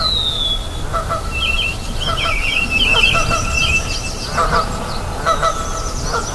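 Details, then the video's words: Siamangs calling back and forth beside a river alongside birds: short harmonic barking notes repeat irregularly, mixed with bright chattering bird warbles and a thin descending whistle at the start, over steady background hiss. "SUARA NYAMANG DAN BURUNG DI SUNGAI"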